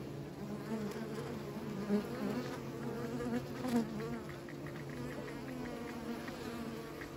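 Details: Kept bees humming together in a thick continuous drone, small louder surges near two and four seconds, steady low buzzing tone, a thin high whine running underneath.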